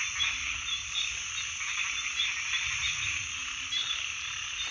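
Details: Many frogs croaking together as one continuous, bright, buzzing chorus, occasional short low notes surfacing over a quiet background rumble.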